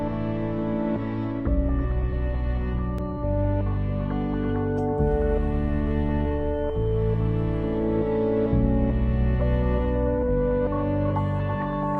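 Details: Soft, sustained ambient music with slowly changing chords fills the whole stretch, with no barking or other animal sounds.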